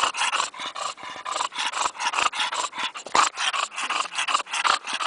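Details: English bulldog giving loud, raspy snorting breaths close up, a rapid rhythmic wheeze of roughly three breaths each second, steady throughout.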